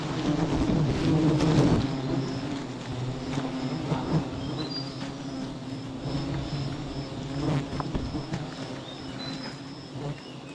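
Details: Bees swarming from a wild beehive tree holding 11 hives after the tree is hit; a steady low droning hum with rising and falling loudness, over a broad rushing background and faint repeated high chirps.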